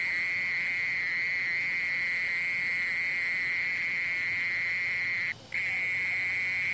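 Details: Continuous droning trill of a mole cricket, level and unvarying in pitch, broken only by one brief silent gap near the end before the buzz resumes.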